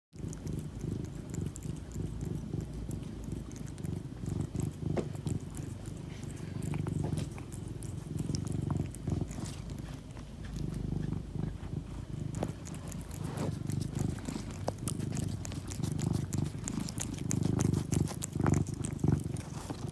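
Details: Domestic cat eating turkey treats after a vacation, a low rumbling purr pulsing steadily through the whole stretch, mixed with soft chewing and crunching clicks.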